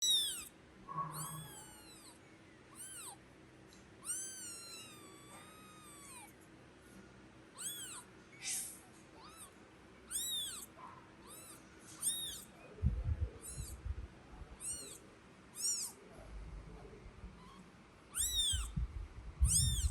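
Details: Kitten crying while an angry mother cat carries it back to the nest; repeated high, arching meows come in bursts throughout, some overlapping, with low thumps and handling noises in the second half.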